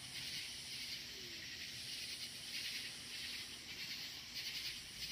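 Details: Outdoor night scene with loud crickets up in the woods: a bright, dense high trilling wash pulsing softly in volume, with an even higher thin band pulsing in and out.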